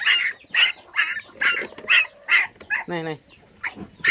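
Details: Five orphaned puppies, whose mother was taken by dog thieves when they were six days old, now bottle-fed with milk. High squealing whines come in short bursts about every half second, with a brief human voice mid-way.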